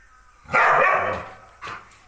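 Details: Male Thai Ridgeback, fiercely possessive of his owner, barking while waiting to be let out to guard the house: one loud, rough bark lasting under a second, then a brief softer yap.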